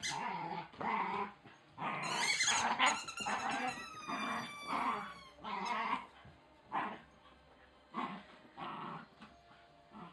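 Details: Wire Fox Terrier puppy growling as it plays with and destroys a chicken toy; rough, rumbling growls in uneven bursts, with a high squeaky-toy squeal partway through.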